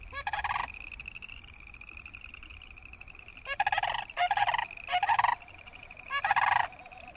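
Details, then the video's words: Close boreal chorus frog trills. Short, harsh, pulsed bursts come singly and then in a quick run of three, followed by one more. A thin, high, steady pulsing chorus fills the gaps between them. "Boreal Chorus Frog sound"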